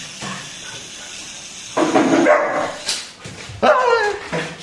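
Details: New Labrador puppy indoors giving two loud, rough barking bursts near the two- and four-second marks, with whimpering in between and people's voices in the background.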